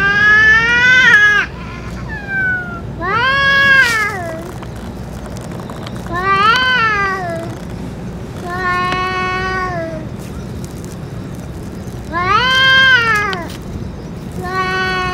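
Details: Japanese stray cats around the boss cat after its food and medicine; a series of six arched, harmonic meows roughly every two to three seconds, some wavering, with small clicks and low hum behind.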